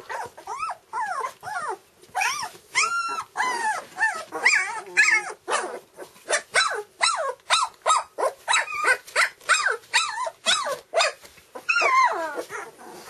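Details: Nellie's red standard poodle pups, two weeks old and with eyes just opened, squeal and whine in a steady, insistent series. Arched, high-pitched cries repeat roughly twice a second, some longer and wavering.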